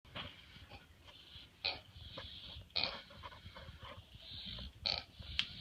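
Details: Pig heard in a barn one evening, making odd snorting, wheezy noises: short breathy bursts with bright hissing peaks roughly every one to two seconds over a low rumbling background.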